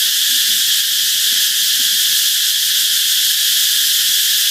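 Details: Mekong Delta canal cicadas produce a continuous, piercing high whine that stays even in loudness from start to end, with a few soft low chirps barely audible below.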